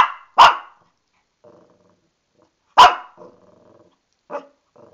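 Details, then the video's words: Female Shih Tzu Lani, mad about being bathed, lets out two strong barks a couple of seconds apart followed by a softer bark and low, faint rumbling sounds. "Lani the Shih Tzu barking"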